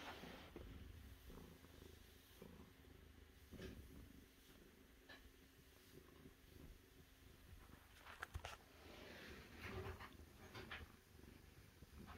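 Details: Continuous low, grainy purring from a cat, with a cluster of brief clicks and rustles between eight and ten seconds before the steady purr resumes.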